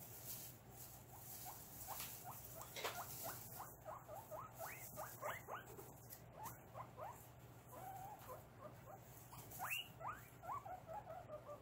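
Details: Pet guinea pigs during a cage clean in August 2022, giving rapid series of short rising squeaks and whistles, some louder upward-sweeping wheeks, over a steady low hum and rustling.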